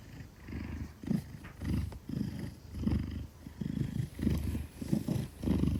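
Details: Large Maine Coon held safely in a woman's arms, purring out of trust; deep vibrating purr in regular swells roughly every half second to second, close and loud, with slight rustling.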